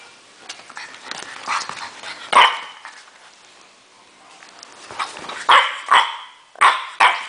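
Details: French Bulldog named Natron in a furious mood, letting out a few scattered harsh barks, then a quick run of three or four loud, rough barks near the end, with soft shuffling noise between.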